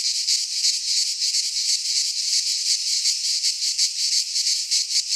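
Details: Greek pine-forest cicadas in midsummer make a bright, high-pitched wall of buzzing. It swells and dips roughly three times each second, and nothing else can be heard.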